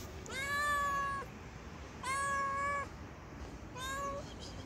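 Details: Sweet, timid street cat fed by hand outdoors: three drawn-out, steady meows about a second long each, spaced roughly two seconds apart, over a quiet background hiss.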